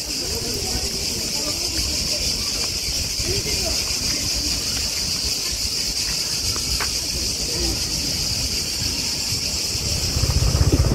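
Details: Cicadas near Zlatni Rat beach on Brač island, Croatia, heard while walking quietly: an unbroken, dense, high buzzing drone, with crunching footsteps, faint voices and a louder rustle at the end.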